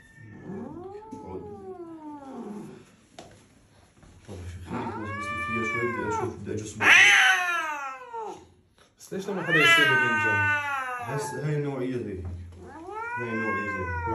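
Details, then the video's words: Angry domestic cat with a loud voice yowling in rising-then-falling wails, the loudest in the middle, mixed with people talking in a small indoor room. "this cat has the loudest voice when it's angry"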